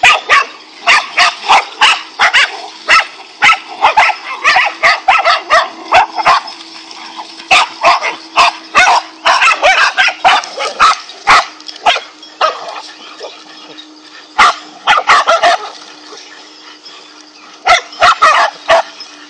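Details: A pack of five dogs attacking a king cobra keeps up a long run of harsh, rapid barks, dense volleys with brief pauses, several voices overlapping above a faint steady hum.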